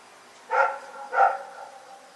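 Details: Rex, a dog, barking in the night: two rough barks in quick succession, roughly half a second apart.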